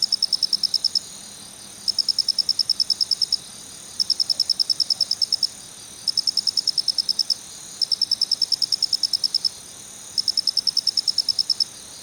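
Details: High, metallic kichi-kichi chirping from a male Phonarellus ritsemai cricket: bursts of fast, evenly spaced pulses, six rhythmic trains with brief silent gaps between them.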